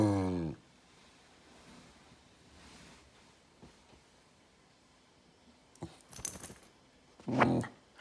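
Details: Rocco, a talkative Goldendoodle puppy, growls and barks to get attention. A harmonic growling vocalization opens, followed by a long quiet stretch, then clattering noises, and one short, loud bark near the end.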